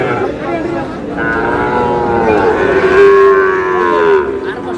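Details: Sahiwal bull calf at a cattle market, 19 May, as a Dhaka farmer bargains for calves: a sustained, strong moo holds a steady low pitch for about three seconds and then stops, over a murmur of voices.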